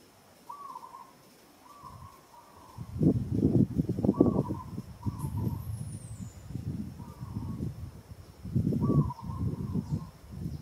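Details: A female monkey named Moka struggles and calls as monkey Sada grips her with strong hands in Kampong Cham Province, Cambodia. Repeated brief tonal wails are heard over loud rustling and thumping handling noises, with one bird whistle.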